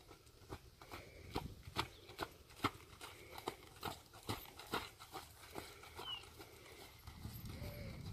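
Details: Imported Friesian horse offered for sale in North America, its hooves striking with sharp, dry clip-clop knocks, roughly two or so a second in a loose, uneven rhythm, while faint bird chirps and rustling sit in the background.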